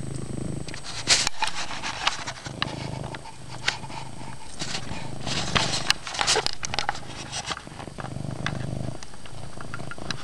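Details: A house cat named Chase purrs loudly in a dark room; the continuous low, throbbing rumble sits under frequent crackling rustles and brief sharp taps.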